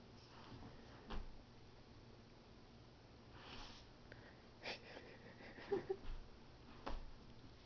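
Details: Finn, a Pomeranian dog indoors in a small room, gives a few soft snuffling sniffs and wheezy breaths in separate bursts over a faint low hum.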